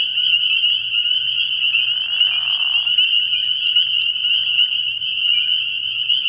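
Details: Spring peepers calling en masse at a frog pond on an early spring night: high overlapping peeps form a constant ringing chorus, with a short breathy rasp midway and low intermittent pulses.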